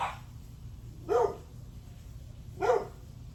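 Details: Two single, well-spaced sharp barks from a dog, about one and a half seconds apart, on a July 9 morning at 8:38 am with faint low background noise.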